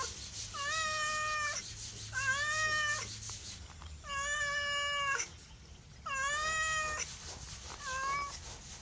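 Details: Pet cat producing five long, steady meows with flat pitch and rich overtones, evenly spaced with short silences, ending in a shorter clipped meow.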